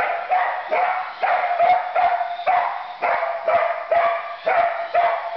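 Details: Pet Border Collie Katie barks steadily at her new remote-control truck holiday gift, sharp barks coming roughly twice a second in an unbroken run, with no other clear sounds.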